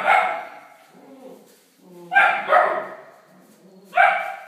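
An Alaskan Malamute gives a few loud, harmonic barks with quieter grumbling sounds between them.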